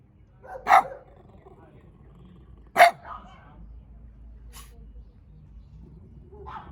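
A small dog gives two sharp, high barks a couple of seconds apart, with faint voices behind.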